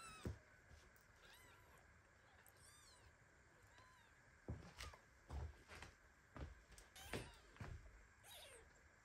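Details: Baby kitten meowing in indignation while its mother cat lies on top of it as it sleeps and shakes; thin, high, arched meows, a few spread over the first four seconds, mixed with soft thumps and rustling.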